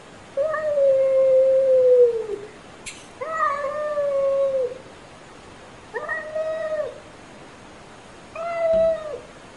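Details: Pet cat giving four separate meows with quiet pauses between them. The first two are long and steady, the last two shorter, and a sharp click sounds just before the second.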